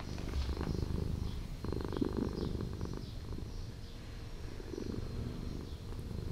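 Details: A street cat living in an old house purrs in a low, steady, pulsing rumble that swells in bursts, while faint, high bird chirps repeat in the background.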